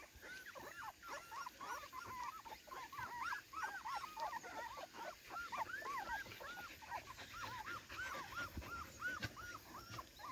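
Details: Cardigan Welsh Corgi romping in the garden on its first outing there, 13 September 2024, giving steady strings of high, bowed whimpers and yelps, several each second, with faint background hiss.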